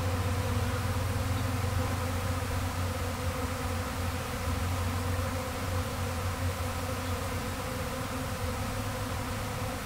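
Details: A swarming honey bee colony, recorded on May 13, 2012 as the beekeeper recovered the bees that had left the hive, gives a continuous, even, low droning buzz with no pauses.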